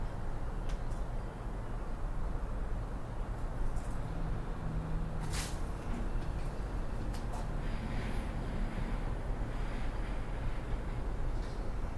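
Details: Steady low traffic rumble with passing vehicles and a brief hiss, no animal voice standing out.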